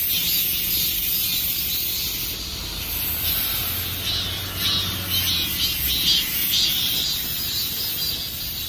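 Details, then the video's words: Dozens of cicadas sit in trees in a dense late-summer chorus, their last song before summer ends, a steady, high, hissing buzz with slight pulsing swells. "Summer passes by with the sound of cicadas."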